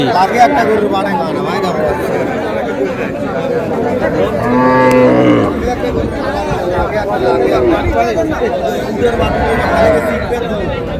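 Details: Cows with calves at Raniganj haat, a livestock market in Dinajpur, on May 4, 2026: one long, low, droning moo rises and falls midway through, heard over constant crowd chatter and men talking.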